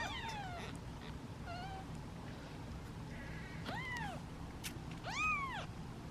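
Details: Several hungry domestic kittens, part of a litter of seven, sit in a basket waiting for feeding and meow impatiently; high arched meows come one after another, the last two louder, over a steady low hum.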